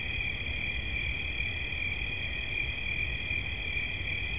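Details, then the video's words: Crickets heard as relaxing sounds: a continuous high, buzzy pulsing trill at two stacked pitches holds steady the whole time above a low, rumbling background noise. "Świerszcz. Dźwięki relaksacyjne"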